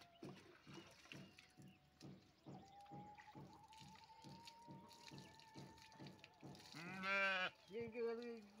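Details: Male goat being bathed in a village during school holidays with a grandfather's help; one loud, quavering, richly harmonic bleat near the end, then a shorter one, over steady rhythmic thumping beats and a thin sustained tone.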